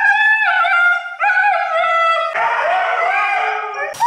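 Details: Siberian Husky vocalizing in the bath, two sustained tonal yells with wobbling pitch giving way to a rougher, hoarser, noisier wail that ends abruptly.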